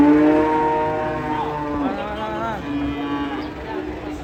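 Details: Fat cattle being unloaded from a truck: a long, steady, low moo with a rich harmonic stack holds through most of the clip, while people shout warnings and background music plays.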